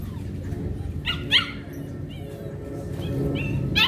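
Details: Belgian Malinois named Hunter in bite work training, giving short sharp barks and higher yelping calls scattered across a few seconds against a constant low hum.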